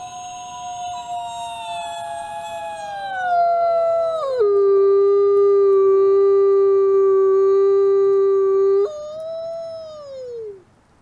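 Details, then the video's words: Wolf at the Wolf Conservation Center with one long howl, starting mid-pitch and gliding down, dropping to a low steady held note for several seconds, then stepping up briefly before sliding down and fading. "Beautiful Wolf | Beautiful Howl"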